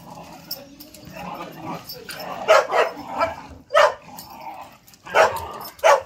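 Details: Pet whippet, a male, barking during an impromptu play session: single short, punchy barks at uneven intervals of about one to one and a half seconds, four in all, over a low murmur of background noise.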